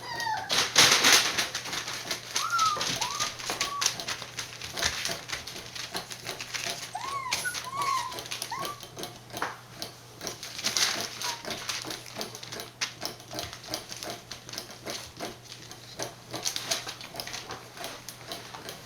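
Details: Border Collie puppies born 19 September 2020 and recorded on 1 November at a breeder in Fukiage, Hioki, Kagoshima, Japan: short high whimpers and squeaks come in bursts near three and eight seconds, over constant clicking and scratching in a small room.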